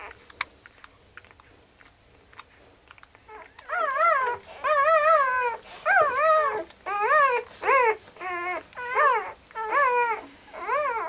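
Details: Puppies crying: a few soft clicks and rustles, then from about three seconds a run of loud, tonal whines, each bending up and down, repeated about once every second with short pauses between.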